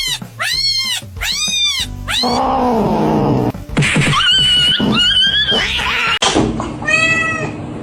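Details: Pet cat meowing in rapid arched cries, two sharp meows at the start followed by longer wavering wails, with background music running throughout.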